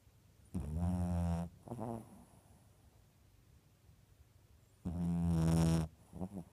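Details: Dog snoring indoors, recorded April 15, 2015: two long, buzzy, droning snores about four seconds apart, each followed by a shorter, softer snort.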